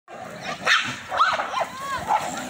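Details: Dogs fighting, Rottweiler, Labrador and German Shepherd among local desi dogs, with harsh snarling growls and yelping cries rising and falling over a steady background hum.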